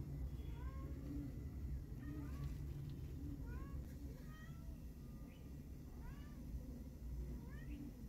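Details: Fluffy fawn kitten wanting to walk out with its mother cat, giving short high rising meows, often in quick pairs or threes, every second or so over a steady low rumble.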